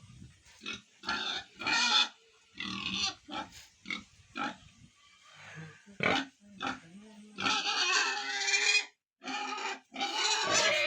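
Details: Ten-day-old piglets on a pig farm in Tripura, giving a rapid string of short, harsh, shrill squeals. Several are drawn out into longer grating screams toward the end, separated by brief pauses.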